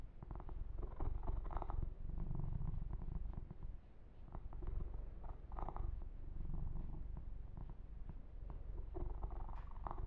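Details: Pet kitten Yumak purring contentedly during a massage, the low rhythmic rumble dipping briefly then resuming, accompanied by soft rustling of hands through fur.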